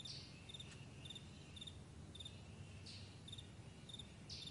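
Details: Faint crickets chirping on a morning meadow, brief high double pulses spaced about half a second apart, broken by a few soft rushing bursts and a low background rumble.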